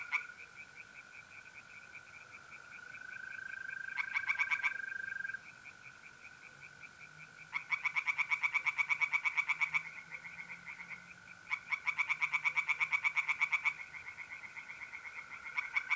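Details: On an April night by a pond in North-East Italy, tree frogs sing in repeated bouts of fast, rasping pulsed croaks, each lasting a few seconds, over the unbroken high-pitched trill of mole crickets.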